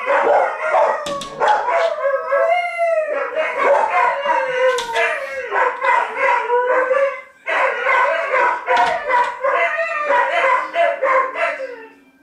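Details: Three dogs, two adults and a puppy, howling together after an air raid siren: overlapping wavering howls slide up and down in pitch continuously, with higher yelping voices cutting in and a brief pause midway.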